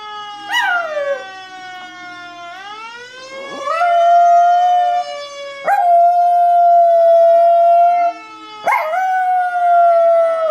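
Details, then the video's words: Female Chihuahua answering a fire truck siren: a siren wail sweeps upward, then the dog joins with long, level, steady howls, each starting with a sharp yip, three sustained howls in about ten seconds. "Chihuahua reacting to fire truck siren"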